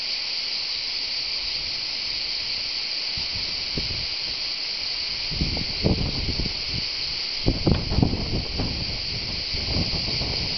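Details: Unbroken high hissing drone of cicadas around the Tour de l'Hers, Châteauneuf-du-Pape, Vaucluse, France, recorded live, with bursts of low rustling and bumps in the middle and later part.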